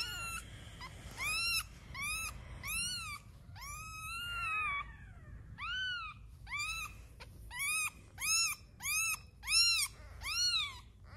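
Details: Cats in a household with a litter of newborn kittens, one of which died on its second day, the mother's milk falling short. Ten high, arching meows, often in quick pairs, ringing with clear overtones over a faint low hum.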